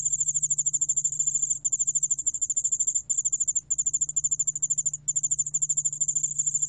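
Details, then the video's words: Korean cricket species yeoul-allak-bangul-beolle from the National Institute of Biological Resources, 2020, sings a shrill pulsed trill, rapid ticking notes broken by a few short gaps near the middle and end, over a faint low hum. "여울알락방울벌레, 여러번 듣기, 곤충소리"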